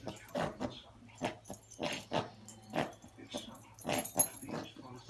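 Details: Grizzly Gucci, a one-year-old Yorkshire Terrier, tears up the teddy bear he has had since he was a puppy. He gives rough, broadband growling bursts in uneven runs, about one every half to one second, with faint speech in the background.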